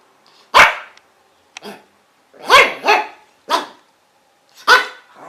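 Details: Dog barking irregularly: loud, sharp barks, some in quick doubled pairs, mixed with a couple of softer, lower yips, about six barks over five seconds.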